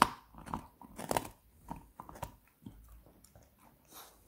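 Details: Seven-month-old beagle puppy gnawing a pork bone indoors: separate crunchy bites and scraping clicks come in irregular bursts, strongest early, then softer gnawing with pauses between.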